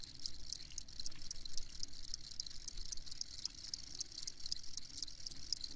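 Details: Shrill cricket chirps repeated in quick regular bursts over a low rumbling background.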